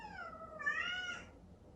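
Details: Indoors in the early morning, Chatoran, a cream Exotic Shorthair kitten born 15 April 2019, cries to see its owner, who sleeps in another room. It gives one drawn-out, wavering meow that swells in the middle, then fades.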